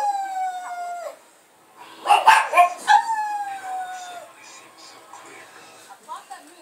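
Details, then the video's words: A pet pug howling indoors: a high, clear, sliding howl that falls in pitch over about a second, a short burst of yips and voices, then a second long, slowly falling howl, fading into quieter whines. "Howling Pug"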